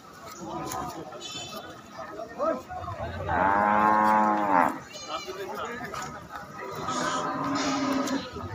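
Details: Cattle being unloaded from a truck at a dairy farm give a deep, drawn-out moo of about a second and a half, rich in harmonics. A softer, lower lowing follows later, with people talking and chatter throughout.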